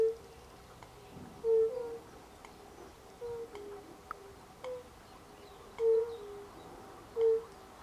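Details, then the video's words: European fire-bellied toads (Bombina bombina), recorded in late March 2024, give soft, low, hollow 'oop' notes at irregular intervals. "Rotbauchunke (Bombina bombina)"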